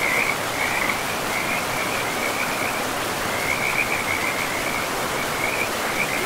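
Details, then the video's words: Short bursts of high, clicking frog trills come and go, with brief gaps between groups, against the continuous rush of a river in a pristine forest with moss-covered ground. "River and Frogs sleep sounds"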